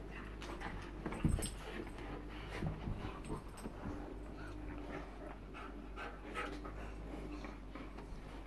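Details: Panting from a pet bull terrier, one of the pair Joy and Miley; rhythmic breathy huffs run steadily through the recording, broken by a few sharper knocks and light handling noise against a dull indoor hum.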